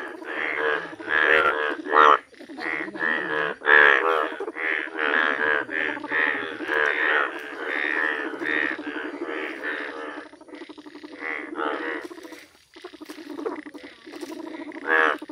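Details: Yellow Indian bullfrogs calling in a village: a dense, overlapping chorus of harsh, bleating croaks for about ten seconds, then sparser, quieter croaks with short gaps and a few louder ones near the end.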